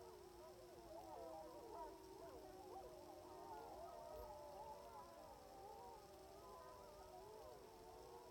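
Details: Sixteen wild timber wolves howl together from a hillside in Wrangell-St Elias National Park, southeastern Alaska, in September 2018, about 700 yards away, captured by phone through a spotting scope: many overlapping long, wavering, sliding tones weave continuously.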